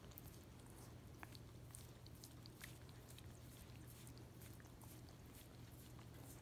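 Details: Miniature Australian Shepherd eagerly licking peanut butter off a foot, producing dense, wet smacking and clicking sounds throughout, over a steady low hum.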